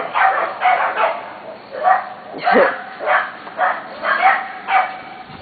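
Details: Litter of Corgi puppies nearly seven weeks old barking together as a weed eater runs, yips repeating roughly every half second in an uneven chorus, with a person talking over them.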